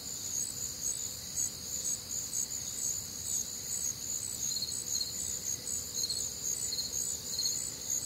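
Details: Crickets and other nocturnal callers during a warm, humid summer night in the Midwest, giving continuous high trilling with overlapping pulsed chirps near two per second against soft ambient noise.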